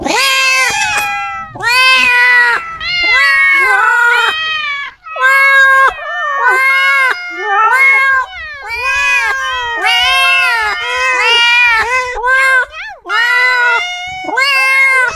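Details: Cats meowing insanely and loudly in quick succession, a run of rising-and-falling wails, some short and some stretched, with overlapping calls and barely a pause between them.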